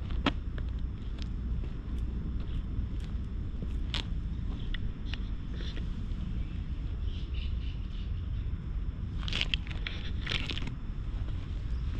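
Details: Steady low outdoor rumble with footsteps and scattered light clicks, no clear animal call.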